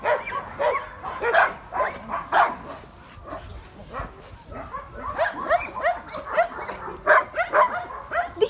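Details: Dogs barking in a dense, overlapping run of short harmonic yaps, several per second with brief lulls, rising again toward the end.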